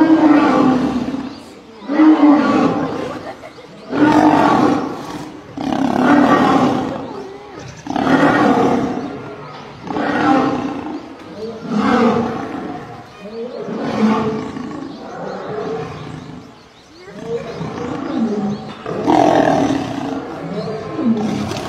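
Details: Male lion attacked and killed by a group of lionesses, Gir Forest: a rough series of loud snarling roars, one burst about every two seconds, some overlapping like several animals fighting.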